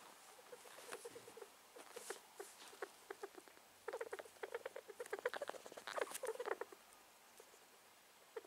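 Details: Possibly ill male rat sneezing; scattered soft snuffles at first, then a dense run of clicky, squeaky sneezes midway, fading to a few isolated clicks.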